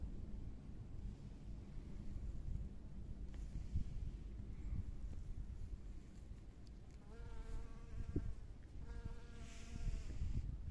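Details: Spring flowers with honey bees at work: low background rumble for several seconds, then two close buzzing flybys, a humming tone with stacked overtones, late in the recording.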